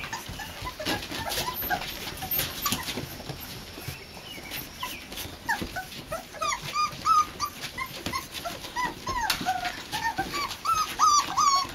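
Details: A litter of Boxer pups, four weeks old, exploring a porch pen for the first time: rustling and scratching at first, then a growing run of squeaky, rising-and-falling whines and yips in the second half.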